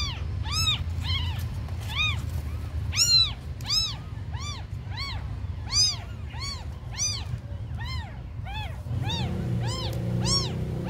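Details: Abandoned kittens producing rapid, repeated high meows, several callers overlapping, before a low humming noise comes in near the end.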